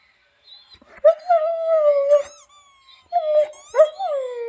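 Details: Albert, a pet dog, responds to squeaking noises with a long, steady, howl-like whine lasting about a second, then shorter, wavering whimpers that drop in pitch, with faint squeaks overhead.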